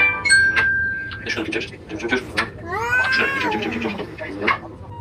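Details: Domestic cat giving a drawn-out, arching meow near the middle, with shorter mews around it, over human speech and clattering noises.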